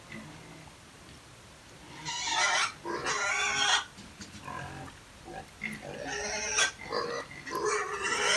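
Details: Native pigs on a farm, fed earlier that morning, raise harsh, broadband squeals and grunts in repeated bursts. A man speaks in Filipino at the same time.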